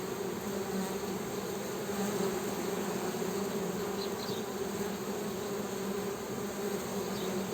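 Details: Honey bee humming, an even, sustained low buzz without pauses, with occasional faint high twitters in the background.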